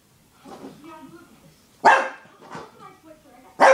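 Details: Shih Tzu puppy barking at a beer bottle because he dislikes the bottle or its smell; a few sharp, loud barks spaced over several seconds, with a man talking in between.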